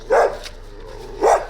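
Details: A big young Gampr, a stray found on the street in Abovyan, Armenia, gives two short barks about a second apart, with quiet background between them.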